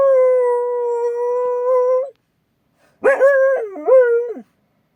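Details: Akita guard dog named Mari howling in alarm at a strange noise outside: a long steady two-second howl, a pause, then a wavering, broken howl that dips and rises before trailing off.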